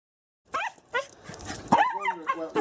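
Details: Scottish Terrier, a female dog who enjoys her walks, held back at a gate while a person tells her not to bark; high, sliding whimpers and short yips come in bursts, mixed with a human voice.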